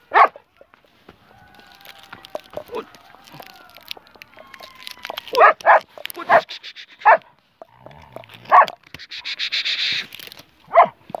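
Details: German Shepherd offered for sale in Peshawar, Pakistan, barking repeatedly in loud, clipped bursts spaced a second or two apart, with a brief hiss of noise and faint voices between barks.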